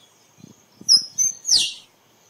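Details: Squirrel voice used to bring squirrels in for photography: two thin high whistled notes followed by a harsher descending squeak, with faint low clicks beforehand.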